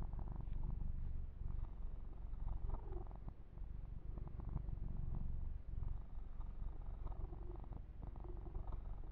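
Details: Ear-to-ear recording of a male kitten purring under a massage with fur grooming: deep, steady, fluttering purr that dips briefly once, accompanied by gentle rustling of fur.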